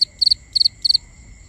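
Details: Cricket calling at night, recorded binaurally: three evenly spaced chirps, each made of three fast shrill pulses, with a soft steady insect whine behind.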